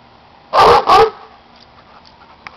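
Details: Two-year-old Plott and German Shorthair Pointer mix dog running around outdoors, giving two loud, harsh barks in quick succession, followed by quiet background.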